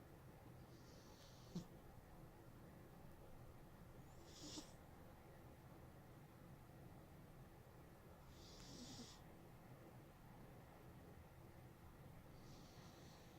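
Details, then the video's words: Loud snoring from Smokey, a sleeping house cat. Hissing breaths repeat regularly about every four seconds, four in all, over a quiet low drone. "Snoring Cat"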